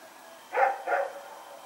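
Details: Two quick barks from Rex, a dog running around in the night on September 21, 2018, the second slightly softer, over a quiet background hum.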